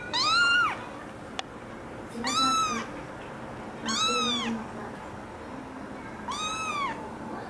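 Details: American Curl kitten meowing: four clear, arched meows, each rising then falling, spaced roughly two seconds apart, over a soft steady background hiss.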